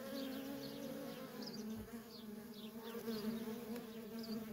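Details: Honey bee workers stream in and out of a feral colony with a dense, even drone, while faint high chirps from small birds repeat in the background.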